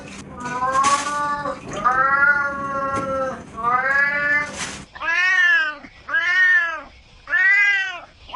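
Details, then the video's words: Pet cats meowing: three long wavering meows with some background clatter, then three shorter, arched meows that rise and fall in pitch, clearly separated by quiet gaps. "Cats Meow 10 Minutes of Cats Making Meow Sounds"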